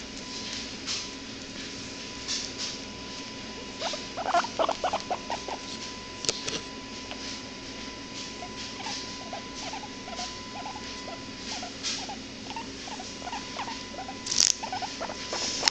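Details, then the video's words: A hairless guinea pig gives soft, quick squeaks and chattering clicks over a faint steady hum. "Guinea Pig makes cute noises"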